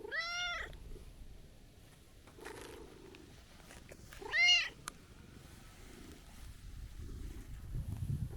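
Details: : Calico-tabby-and-white stray cat scolding after a long absence, giving two clear meows with rich harmonics, a long one at the start and another near four and a half seconds, with a faint rustle between and low outdoor background noise.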